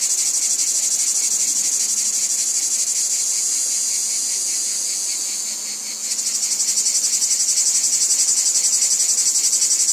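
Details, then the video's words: A wheat field chorus of cicadas: high rasping drone that dips and thins midway, then swells back to a strongly pulsed, louder buzz for the final seconds. "Cicadas Ambience | Wheat Field Cicadas Background Noise"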